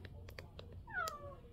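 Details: Stray cat, one of two sibling strays born in 2023 that come daily to be fed, gives a single short descending meow with clear harmonics; soft clicks before it and a woman urging the cat to come inside from the cold.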